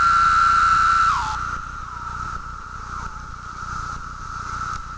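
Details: A cicada's mating call, a steady, whining drone that dips briefly in pitch before settling back.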